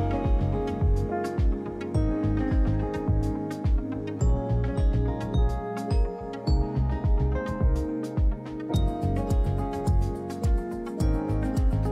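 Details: Upbeat music with mallet-like notes and a steady beat plays throughout; no animal voice is heard.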